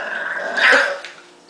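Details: English Bulldog puppy giving a brief, rough growl of under half a second, a raspy mid-pitched burst that swells and fades, with faint indoor hiss around it.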